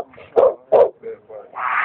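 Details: Dog barking indoors, two loud gruff barks close together followed by softer yips, with a man's voice urging it on and music beginning at the end.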